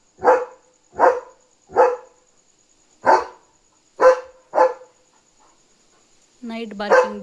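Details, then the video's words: German Shepherd Leo barking at night, telling his owner another dog is outside; six strong barks in quick succession, a pause, then a voice speaking over one final bark. "Leo Knew There Was a Dog Outside! Smart German Shepherd"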